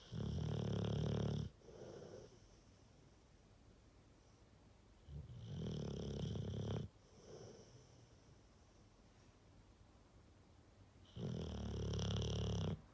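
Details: Rottweiler snoring steadily: three deep, rumbling inhaled snores spaced about five seconds apart, each followed by a softer wheezy exhale, room otherwise quiet.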